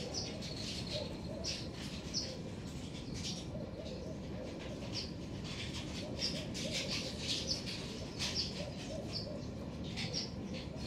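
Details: In a garden, black-tufted marmosets call with brief, sharp, high-pitched whistles repeated throughout, some in quick pairs, above constant low-frequency background noise.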